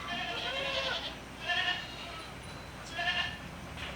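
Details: Saanen goats on a goat farm give three short, tremulous bleats about one and a half seconds apart, each a buzzy harmonic burst, over constant low background noise.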